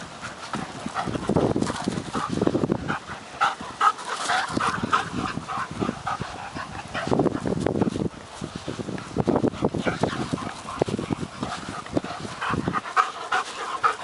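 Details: Working Mastiff pup Nobi, 10 months, and bull terrier Tasha, 8 years, chasing each other and fighting over a stick; rough broadband bursts of growling and scuffling come in clusters with short quiet gaps.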